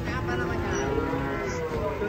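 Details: Cattle arriving by truck: one drawn-out, droning low moo that slowly rises in pitch, over engine-like rumble and background noise.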